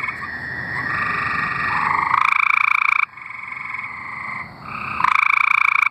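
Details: Several tree frogs singing in Arkansas: long pulsed trills with banded tones, overlapping callers alternating in one- to three-second bouts, one louder buzzy trill standing out near the end.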